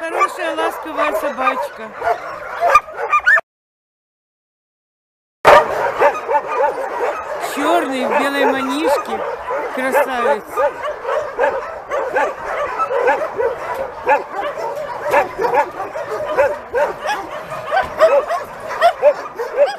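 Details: Homeless mongrel dogs among some 2,000 animals awaiting homes; many dogs bark at once in an overlapping, continuous chorus, broken by about two seconds of silence.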